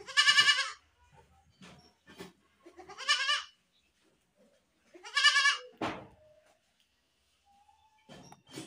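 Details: Goat screaming in loud, quavering bleats spaced a couple of seconds apart, at the start, near three seconds and at five seconds, each harsh and wavering; a sharp knock follows the third, then quiet with faint rustles.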